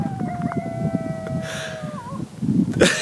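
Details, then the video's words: Coyotes howling, heard outdoors during a bike ride and hike: long sustained tonal howls with stacked overtones, gently falling in pitch, one ending in a wavering quaver, over low rumbling background and brief bursts of wind noise. "Howling *coyotes*"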